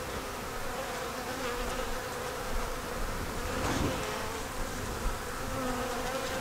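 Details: Honey bees at an open hive during an inspection checking for eggs, brood, stores and a queen; a steady, dense buzzing hum holds through the whole stretch with a faint tonal drone and slight swells in loudness.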